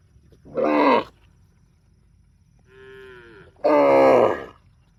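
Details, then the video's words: Tame cows giving two loud, rich, harmonic calls, each about half a second to a second long and separated by a quieter, lower drawn-out sound in between, with a faint background hiss. "tame cows"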